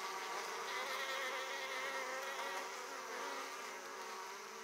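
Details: Italian honey bees at an opened hive, returning loaded with pollen, make a steady, droning hum of many wings together, full and unbroken.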